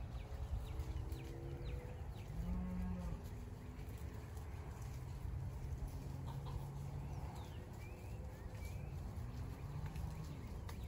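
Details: Big, loud cows on a homestead give a deep moo around two seconds in, then a long, steady low lowing over several seconds, with faint bird chirps and constant outdoor rumble behind.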